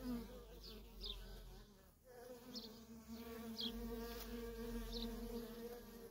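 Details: Honey bee workers streaming in and out of a feral colony: a droning buzz that dips briefly near two seconds, then swells back to a steady layered hum, with scattered short high chirps.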